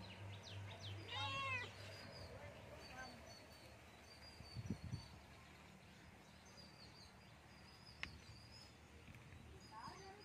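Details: A Persian kitten gives one short, wavering meow early on, then falls quiet over a low hum, faint room noise and a few distant clicks.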